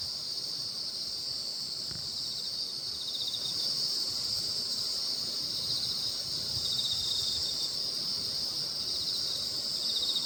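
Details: Night insects sing together under the Baekjung full moon in Korea, a continuous high-pitched trilling wash with a fast, uneven pulse near four beats a second, holding steady and filling the whole stretch.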